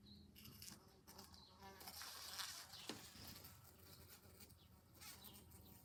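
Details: A bee trapped at a window in July, loud enough to wake someone, makes a steady, low buzzing drone that swells and fades in uneven bursts, broken now and then by soft tapping and rustling knocks. Bee.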